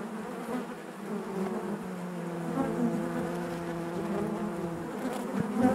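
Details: Honey bees in their hive keep up a steady, layered drone; a sustained low tone holds for several seconds amid the constant buzz.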